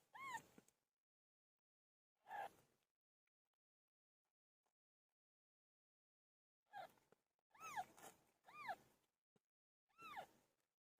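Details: Pet cat named Pilo meowing while giving birth. Six short meows, each a rising-then-falling harmonic arc, come singly or in quick pairs, with long silent gaps between them.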